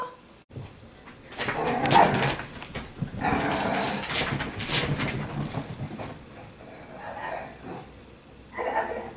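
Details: Italian Greyhounds at home indoors on laundry day, a dog named Timmer among them: bursts of yelping barks and whimpers in quick runs, with a woman talking to the dogs.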